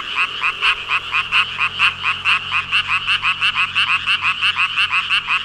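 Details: Massed frogs, some 5,000 of them, croaking in chorus: fast, rhythmic rasping pulses, roughly one and a half per second in clear beats, each note buzzy with a sharp bright peak, filling the whole stretch.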